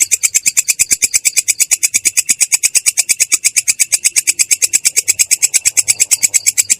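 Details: Katydid called belalang kecek performing ngerol, its clear coarse rolling song: a continuous rattle of sharp high pulses, roughly eight per second, unbroken throughout.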